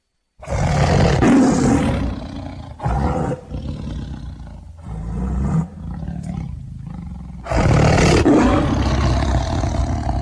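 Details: A tiger roars in deep, rasping bursts that swell and fade several times.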